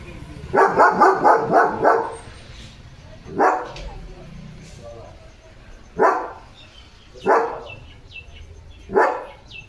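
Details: German Shepherd Leo barking at another dog outside; a rapid burst of five barks opens, then single barks follow every two to three seconds, with quiet human voices in between.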